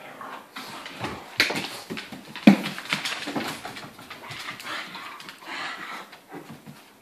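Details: Playful tussle between an Irish wolfhound in heat, a pug and a Landseer pup, heard as a continuous mix of whimpers, snuffles and low growly noises over thumps and scrabbling in a small room, with no clear barks.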